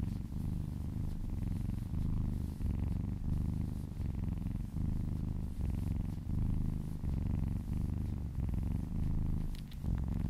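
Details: Massaged kitten giving a loud, even, throaty purr, its rhythmic breathing cycles heard as regular short pauses about once a second, with faint stroking noise and a few light clicks near the end.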